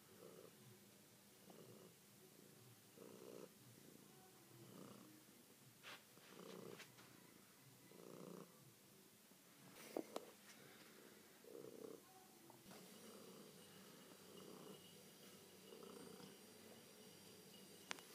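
A tabby cat purrs in low, rumbling pulses that swell and fade with each breath.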